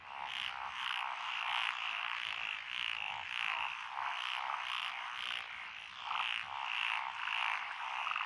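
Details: Chorus of many frogs in lotus paddy fields, Echizen, Fukui, Japan, June 2021; rhythmic croaking pulses roughly twice per second, overlapping voices keep a continuous raspy throb with higher clicking notes on top.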